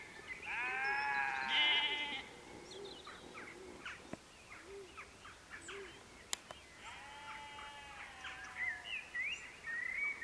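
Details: Sheep at Canons Ashby, West Northamptonshire, UK, at golden sunset, three or more animals wandering in: a long wavering harmonic bleat early on, then shorter bleats and scattered chirps of birds, a second quavering bleat near the end.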